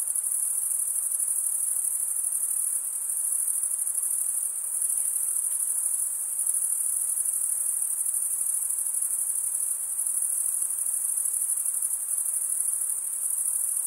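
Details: Crickets stridulating, the chirp usually given only by males rubbing wing against toothed wing. The sound is a steady, shrill, very high continuous buzz-trill with gentle rapid pulsation and no competing sounds.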